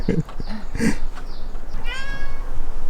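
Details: Indoor Ragdoll cat from a home with eleven Ragdolls makes a short falling meow after a person speaks, against low room noise.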